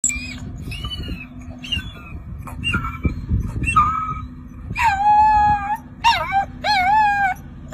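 A wolf pup gives thin, high, wavering howls that rise and bend, with a low rumbling hum behind.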